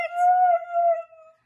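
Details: Siberian Husky, one of a group of lively, hyperactive dogs, giving a steady, level howl-like tone of about one second that fades out smoothly at the end, with no other sounds.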